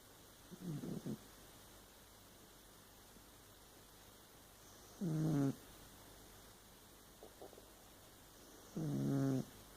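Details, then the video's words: Burmese cat snoring while asleep: three rough, low snores about every four seconds, with a faint, shorter breath sound between the second and third, in a quiet room. "My snoring Burmese cat"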